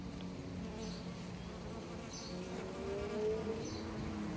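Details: Bees at an apiary gather to drink water, with sticks set in the water: a dense droning buzz with wavering pitch that rises briefly near the end, and soft high chirps at intervals.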